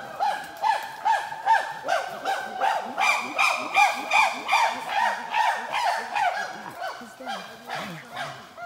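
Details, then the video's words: Wild Ugandan chimpanzees, in trees and on the ground, give loud rhythmic hooting: pulsed harmonic calls repeated steadily about two to three per second, swelling and fading in a long, even series. "Chimpanzee Tracking in Uganda - Vocalization in the wild - In the trees, and on the ground"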